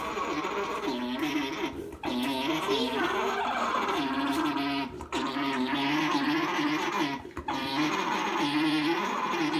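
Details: Alpacas mating at a farm, a male mounting: a continuous low, warbling, humming drone that wavers up and down in pitch without pause, with people chatting and laughing nearby.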